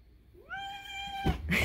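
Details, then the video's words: Grown male domestic cat with a kitten-like voice meowing during feeding: a single meow that swoops upward and then holds a high, steady tone before it ends, followed by a burst of clattering noise. "he LITERALLY only sounds like an actual kitten"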